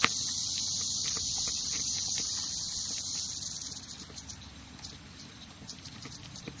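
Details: Rattle of a prairie rattlesnake, Crotalus viridis viridis, in Kimball County, Nebraska, on May 17, 2009. A continuous, sizzling high buzz lasts about three and a half seconds, then weakens and breaks into scattered dry ticks.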